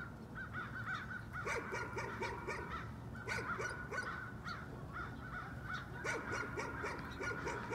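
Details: A nuisance dog barks at a distance in quick bursts of several sharp yaps, pausing between runs, with steady low background rumble throughout.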